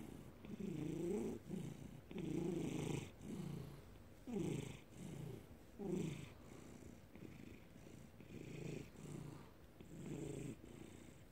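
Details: Domestic cat purring steadily indoors, recorded May 2019: a low rumbling purr in rhythmic surges of about one second each, swelling and easing roughly forty times a minute, with faint steady hiss in the background.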